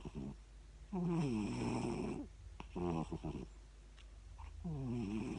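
A Siamese cat snores in rough, rhythmic low rasps, each breath a buzzy drawn-out rattle.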